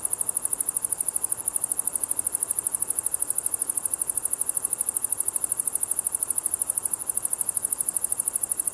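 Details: Song of Ruspolia interrupta, a katydid with green and brown forms: a steady, very high-pitched stream of rapid buzzy pulses, about ten each second, continuing without pause over a quiet background.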